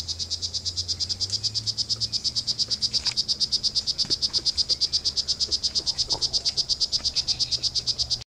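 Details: Wild male poison dart frog calling: a long unbroken series of high, buzzy chirps repeated roughly three times a second at a steady pace, over a quiet low rumble and a few faint clicks.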